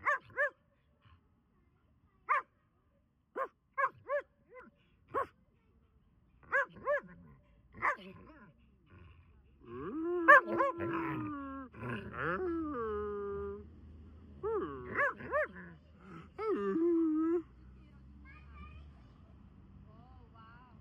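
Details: Borzoi barking during outdoor play on grass in autumn: a run of short sharp barks, then longer howling, whining yowls with rising and falling tones, building into a varied bark symphony before fading into quiet.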